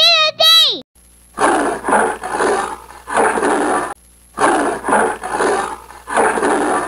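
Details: Leopard roaring: hoarse, rasping bursts in paired strokes, repeated in groups about every second with short pauses between series, after a brief opening chime.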